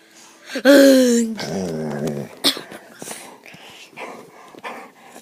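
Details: Mckenzie, a brown pet dog called Kenzie, gives a loud drawn-out whining howl that bends upward, then slides into a lower, rough growling moan; afterwards a person talks to her indoors.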